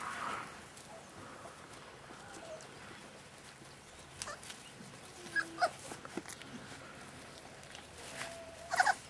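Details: Staffordshire Bull Terrier puppies, 38 days old, from a kennel litter, give a few short high whimpers and squeaks late in the clip, over a quiet, noisy background.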